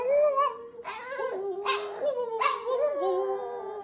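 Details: Pet dog in a funny dog compilation howling in long, wavering, mid-pitched tones, broken by short sharp barks or yelps roughly every three quarters of a second.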